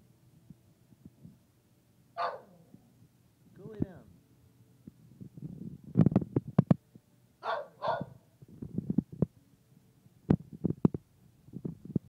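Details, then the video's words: Female dog at a workplace, shortly before being taken out for a bathroom break, putting her whole body into barking: a few loud, rough barks scattered among low grunting noises and thumps, with a person speaking. "Trilby Barks (At Work)"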